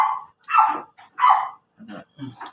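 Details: Pomeranian in Labrador, Pangasinan, giving two sharp, high-pitched yappy barks about a second apart, each preceded and followed by softer short sounds and a brief low voice at the end.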